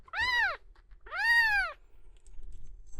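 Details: Male cat Miel, red tabby and white, in an animal hospital after suspected epileptic seizures: two clear, arched meows about a second apart, the second longer, followed by quiet background rustle.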